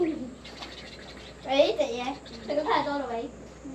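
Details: A cat gives a soft falling note, then two drawn-out, wavering, harmonic meows, each rising and then falling in pitch, over a quiet background.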